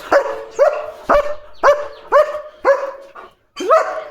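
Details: Leo, a German Shepherd, barking at other dogs outside the gate to chase them away; seven loud, sharp barks come about every half second with a short gap near the end.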